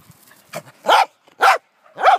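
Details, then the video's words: Pembroke Welsh Corgi named Wesley Von Toffee playing with a jolly ball horse toy: three sharp, loud barks about half a second apart, preceded by a softer yip, with a quiet background. "Crazy Corgi chases jolly ball horse toy"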